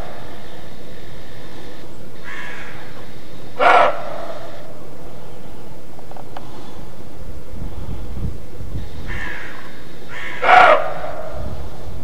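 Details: Barking of roe deer, known to hunters as "Schrecken" and heard throughout the year, recorded in Mecklenburg-Vorpommern, Germany: rough, explosive single barks roughly seven seconds apart, each preceded by a softer bark, against constant low rumbling noise.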